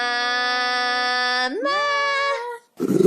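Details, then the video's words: Dog producing a weird, funny noise: a steady sustained howl that slides sharply upward midway, holds the higher pitch, then fades before a burst of rustling noise. "Funny Dogs' Noises!"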